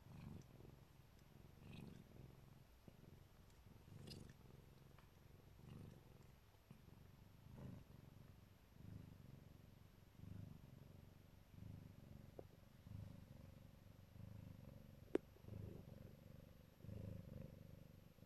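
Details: Mother Siberian cat of the Neva Masquerade colour, protecting her kittens, purrs in low rumbling bouts that swell and fade roughly every second and a half, with a few faint clicks and one sharp tick near the end.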